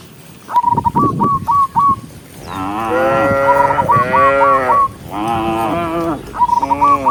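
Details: Dozens of cows moving along a forest road; a string of rapid high whistled notes, then long moaning moos with falling ends, overlapping one another, with more short whistled bursts between them.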